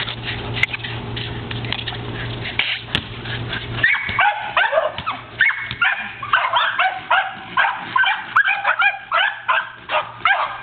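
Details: One of two corgis herding and pushing a basketball during play gives rapid, yappy barks and whines, repeated almost three times a second.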